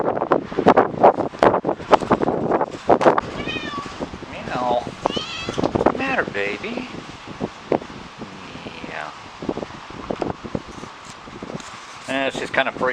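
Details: Domestic cat's own meows, recorded at a park and played back to her; she reacts strongly. Several arched, wavering meows rise and fall between bursts of a person talking, with handling clatter throughout.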